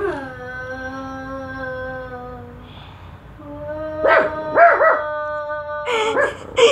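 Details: Female dog vocalizing at her own shadow: a long, steady whining howl held for over two seconds, then a lower drawn tone broken by short sharp yips and closing bursts.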